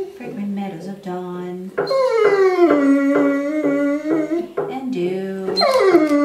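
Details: Ten-year-old female Curly-Coated Retriever singing along indoors as part of her nightly repertoire to the song "Till There Was You"; long wavering howls slide downward from a high start, over a person's low sustained sung notes.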